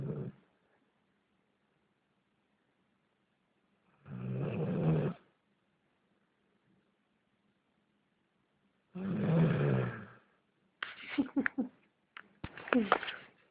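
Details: Nero, a German Shepherd mix, snoring during a nap: rough, low, breathy snores about five seconds apart, then short higher, voice-like sounds near the end.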